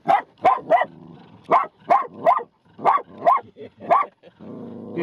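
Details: Scared small Bichon Frise dogs give sharp, high-pitched barks in quick bursts, often in pairs, at a tame wild black burro begging for food on the road near Oatman, Arizona, Route 66, while a person tells them to stop.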